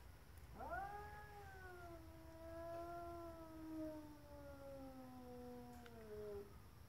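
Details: A stray cat from next door, tail puffed up, gives a single sustained caterwaul lasting over five seconds. The moaning tone swells and dips gently before sliding down at the end, with faint background hum and a couple of clicks.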